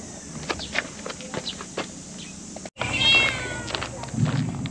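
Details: Cat giving a short, high meow with a slightly falling tone around the three-second mark, set among scattered clicks, background noise and some human voices.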